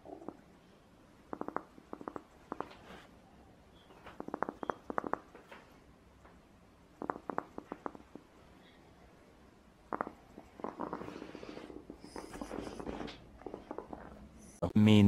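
A domestic rabbit purrs by softly grinding its teeth, a quiet sign of contentment.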